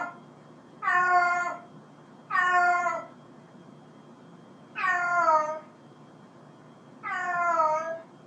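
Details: Domestic cat giving four drawn-out meows, each slightly falling in pitch and spaced about two seconds apart, with quiet pauses between calls and no other sounds.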